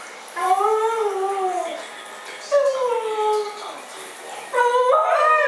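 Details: Two dogs, Mishka and Laika, arguing with each other: three separate drawn-out, tonal howl-like wails, each sliding gently downward, with pauses between and faint background noise.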